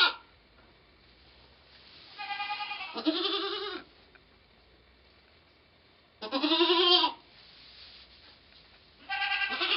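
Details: A goat giving birth to twins on 2/11/11 bleats repeatedly, with drawn-out, wavering, nasal cries about three seconds apart over a faint background hiss.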